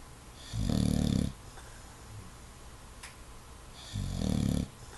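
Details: English Bulldog sleeping with eyes open indoors, snoring in two rough, low rumbling bursts about three seconds apart, each lasting under a second, with quiet breathing between.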